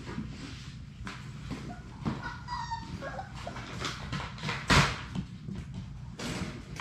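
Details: Six Labrador Retriever puppies playing together in their puppy play room; one brief high whine with stacked overtones rises and falls midway, over steady scuffling, pattering paws and knocks on the floor.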